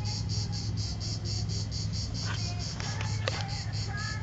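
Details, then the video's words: Cicada singing at Vello, Brescia, Italy, 4 September 2010, 16:04, the last of the season, phone recording: high rasping pulses repeated roughly three times a second over a constant low background hum. "ultima cicala 2010 vello"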